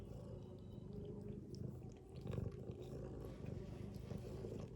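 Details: Domestic cat, a mother asleep beside her kittens, giving a deep continuous rumbling snore that dips briefly, then returns stronger, with scattered light clicks over it.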